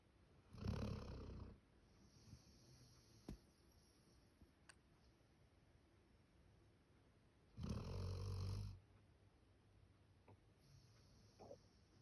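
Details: Max, a male Labrador Retriever born 1 October 2019, snoring like a human indoors: two loud, deep, rasping snores about seven seconds apart, each lasting roughly a second, with quiet breathing between.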